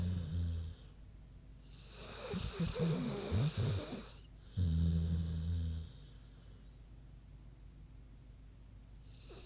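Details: Queenie, a big sleeping pig, snoring: low rumbling breaths with a short snore near the start, a rougher snorting inhale around the middle, then a long steady low snore, separated by quiet pauses.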